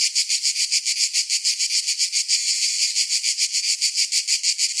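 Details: Summer cicada song, a shrill, hissing buzz pulsing rhythmically roughly three times a second, swelling briefly smoother in the middle before the throbbing beat returns; nothing else audible.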